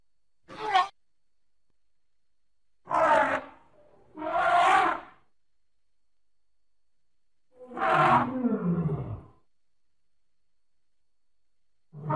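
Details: A baby elephant at play lets out a string of short, harsh squealing bursts separated by quiet gaps, one ending in a falling tone.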